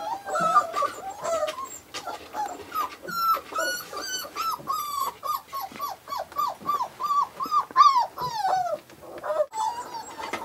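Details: Five-week-old Australian Shepherd puppies whimpering and yipping almost nonstop: a rapid run of high, thin whines, each bending up and then sliding down, with overlapping squeaks from several pups throughout.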